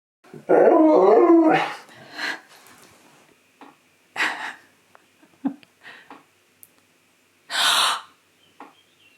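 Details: Pet dog named Key answering its owner's dramatic gasping indoors with a loud, wavering, talk-like howl-moan lasting about a second. Sharp human gasps and brief breathy bursts follow in the quieter remainder.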